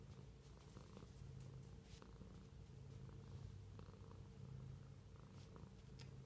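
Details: Steady rumbling purr of a pet cat, low and even throughout, with brief soft ticks and small movement sounds over the top.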